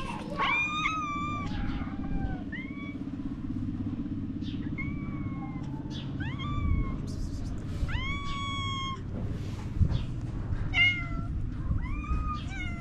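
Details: Several stray cats in Morocco asking for food with cute meows, many brief bent calls from more than one animal over a constant low hum.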